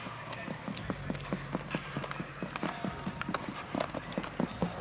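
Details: Standardbred race horses under riders on a race track in the ArkLaTex area of Texas; quick, sharp hoofbeats strike in a steady run of clops, with voices talking in the background.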